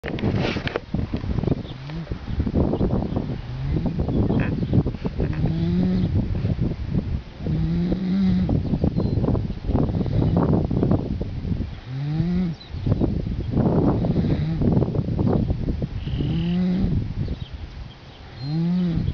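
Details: A young colt asleep snores while dogs lie beside him, used to commotion: rhythmic breathing with a low, rising, throaty tone roughly every two to three seconds between noisy breaths.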